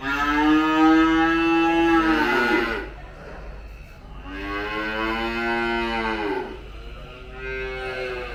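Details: Calves at a dairy farm near Mount Kinabalu, Malaysia, being fed and 'singing': long harmonic moos, the first about two and a half seconds with a wavering pitch. After a short pause comes a second drawn-out bellow that bends down at its end, then a third begins.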